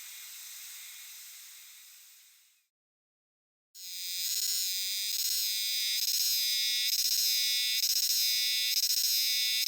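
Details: Hime-harusemi (Euterpnosia chibensis) chorus in a dark shrine or temple wood in Japan, sung jiwa-jiwa; a softer hiss fades to a second of silence, then a louder, rhythmically pulsing, buzzy high chorus resumes.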